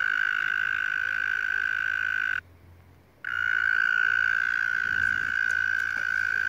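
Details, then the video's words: A tiny frog calling loudly outdoors, met on the way home: a continuous, steady, buzzy trill held at one pitch with rich overtones. It stops abruptly for under a second, then resumes unchanged. No other clear sounds are present. "Tiny frog with a loud throat"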